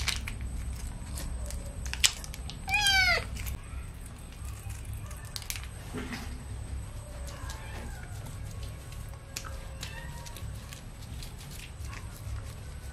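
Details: Kitten meowing while being bathed with baby shampoo: a single short, sharply falling meow near the three-second mark, set against constant splashing and handling noise and faint clicks.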